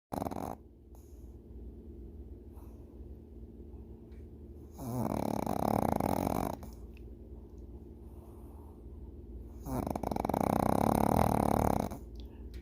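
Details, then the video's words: Sleeping pug puppy snoring: two long, rough, rasping snores of about two seconds each, separated by quieter steady breathing, in a small quiet room. "Sleeping Puppy/Funny Sounds"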